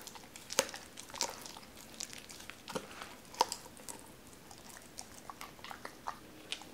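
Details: Raw chicken being crunched by a Doberman called Cola indoors; sharp bone-cracking snaps roughly every few seconds between quieter wet chewing noises.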